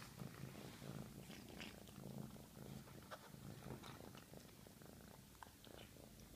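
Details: A strong, rhythmic purr from a very hungry female cat while she eats, a low buzzing rumble in clear repeated pulses, accompanied by busy wet chewing and lapping clicks.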